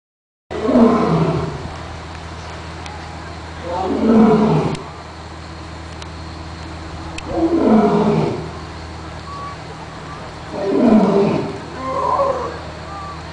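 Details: Captive lion at London Zoo, 20 November 2008: four deep, heavy roaring bursts, each about a second long with a falling tone, spaced three to four seconds apart, over a steady low background hum.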